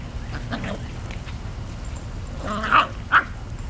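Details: Puppies giving a few short, high yelping barks, two sharper yips close together near the end over a steady low rumbling background.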